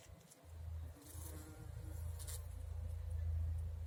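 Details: Bumblebee collecting nectar in a garden, humming strainedly: a low, steady droning buzz with a brief gap near the first second, then growing gradually louder to the end.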